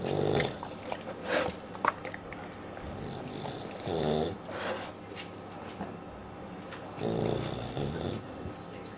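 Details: A sleeping puppy named Daisy, twelve weeks old, gives soft, irregular snorting snores with uneven gaps, some in quick pairs, over a low indoor hush.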